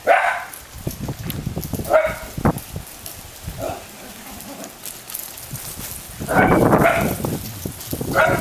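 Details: Ten-month-old Italian Greyhound Mischa roughhousing with a pack of other dogs; sharp barks burst out near the start, around two seconds and again from six to seven seconds, with a person calling to the dogs in between.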